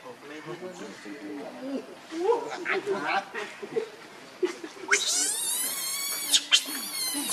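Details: Baby monkey Leo begs its mother for milk; soft murmuring sounds first, then a sudden burst of long, harsh, high-pitched screaming in the last seconds.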